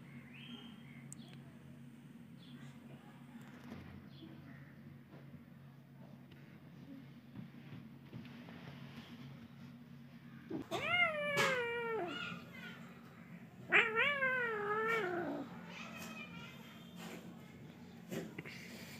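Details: Kittens meowing indoors: two drawn-out, wavering meows with rich harmonics, the first rising and falling over about a second and a half, the second after a short pause, over a steady low hum.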